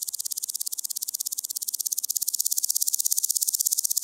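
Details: Omocestus rufipes, the woodland grasshopper, recorded at Gaisberg, Austria, 15 September 2023: continuous high-pitched rasping song of fast regular pulses, roughly a dozen per second, steady and growing a little louder toward the end.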